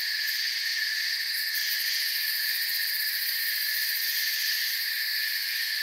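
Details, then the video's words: Forest night ambience of crickets: an even, ringing high trill chorus, many callers blended into steady bands, with light flickering pulses at the very top early on; level stays constant throughout. "Forest Sounds and Crickets"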